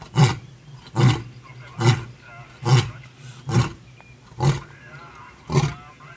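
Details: Male lion seen on a morning game drive, finishing a roaring bout with deep, low grunts, seven in six seconds, evenly spaced and each a short hoarse puff.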